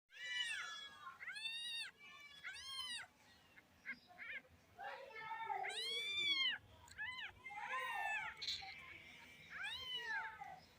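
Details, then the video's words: Cats and kittens meowing in a funny compilation: a run of high, arched, drawn-out meows, some rising then falling, several in quick succession with short gaps, one longer wavering cry near the end, room fairly quiet between calls. "Funny Cats And Kittens Meowing sound Effects Compilation"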